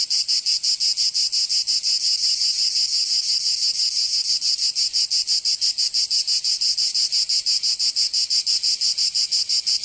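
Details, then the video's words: Cicadas of Provence, southern France, in summer, producing a continuous high, hissing buzz with fast regular pulsing, nearly three beats a second, the pulses briefly smoothing midway before resuming. "Canto Cigarra 🦗 [ Escuchar les cigarras en verano 10 H]"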